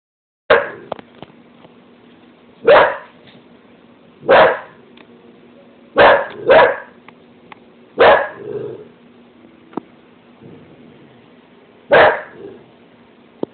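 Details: Zelda, a pet dog, barking indoors at her own reflection in the stove: single sharp barks spaced irregularly, seven across the stretch, with a low steady hum beneath and light music.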